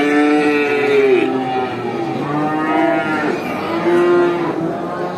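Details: Cows at a traditional animal market: loud drawn-out moos with rich harmonics, one long call near the start falling at its end, then further overlapping moos from several animals.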